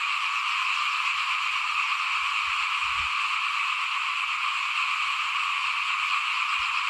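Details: Small frogs calling in front of a house at rice sowing time in 2021: a dense, unbroken chorus of high, rasping trills holding steady throughout, with faint low thumps and rumbles underneath.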